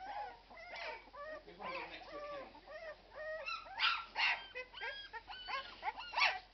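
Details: Young Irish Red and White Setter puppies, 12 days old, cry in a string of high, thin whines and sharp yelps, louder peaks around the middle, several pups calling at once.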